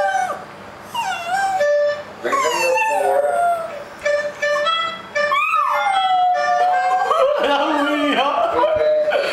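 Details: Pet dog howling along with a harmonica, long wavering howls that rise and fall and slide between pitches, overlapping the harmonica's steady tones, with brief pauses between phrases.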